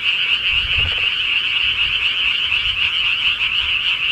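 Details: Frogs in the countryside at night, a short burst of dense, rapid pulsed croaking that blends into a continuous trilling drone with faint low rumbling underneath.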